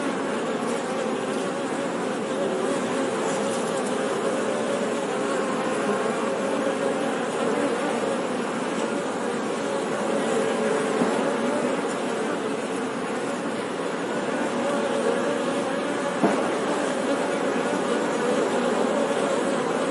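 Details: Continuous drone of honey bees, a thick, even buzz that never pauses, with faint flickers of individual wingbeats and one brief click near the end.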